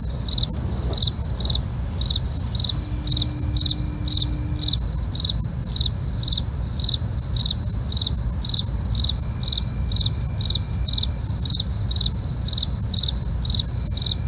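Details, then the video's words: Night-time crickets chirping in a fast, regular pulse, roughly two to three short high chirps per second, layered over a continuous shrill insect hum and a low background rumble. "night crickets asmr"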